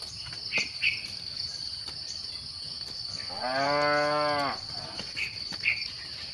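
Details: At sunset, evening cattle herding: a single drawn-out moo lasting about a second and a half, rising slightly at its start. Constant insect drone and occasional bird chirps surround it.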